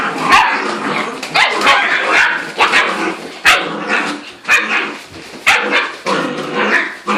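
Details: Seven-week-old puppies, a litter of nine, spunky and playing together indoors; rapid overlapping yips and small barks every half second or so, busy and continuous.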